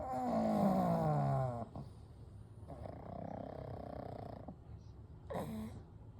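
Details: Three pugs, Kou, Gen and Shun, sleeping peacefully together: a long droning snore with a tonal, slowly falling pitch, then a softer, breathier rasping snore on the next breath, and a brief snort near the end.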